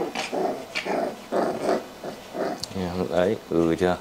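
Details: Rottweiler puppies at a kennel in Hoang Mai, Hanoi, growl like tiger cubs in rough, rumbling bursts, then in wavering, whiny tones, with people talking nearby.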